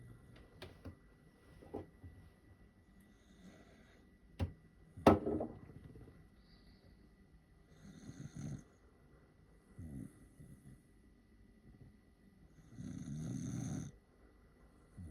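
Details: A tired Corgi snoring while waiting for a treat indoors; soft low rumbling snores at about 8, 10 and 13 seconds, the last one long and loudest, with a sharp click near 5 seconds in a quiet small room.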